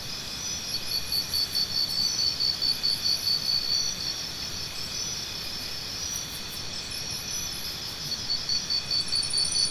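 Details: Crickets chirping steadily in a rural night chorus, pulsed high-pitched trills repeating a little over twice a second in bursts, over a constant shrill insect drone, with a fainter higher chirping caller at times.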